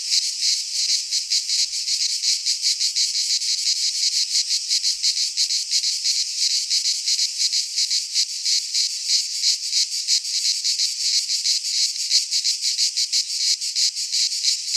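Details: Singing cicadas of a Greek pine forest at midsummer: an intense high-frequency hiss-like buzz sustained for the whole stretch, finely pulsed and rapid, with a constant level and no other sounds.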